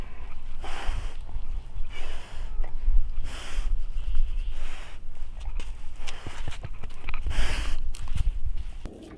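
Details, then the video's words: Daebong, a kitten living as a yard cat, snoring while asleep at dawn, loud enough to wake its owner each morning. Breathy, noisy snores come in a steady series roughly every second and a half, with faint scattered clicks between them. "새벽마다 날 깨우는 아기고양이 드르렁 드르렁 소리"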